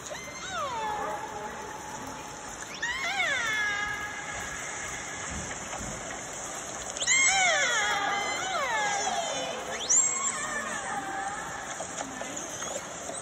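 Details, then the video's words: Recording played at a whale museum in Telegraph Cove: transient (marine-mammal-eating) orcas give squealing, harmonic calls sweeping sharply downward every few seconds; they are often quieter so prey won't detect them while hunting. "Let’s listen now to the transient orcas"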